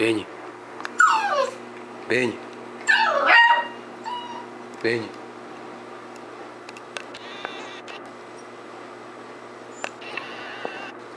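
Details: Beagle puppy whimpering and yipping: a few short yelps, then two high, sliding whines that fall steeply in pitch, followed by quieter scattered squeaks and faint clicks in a small indoor room.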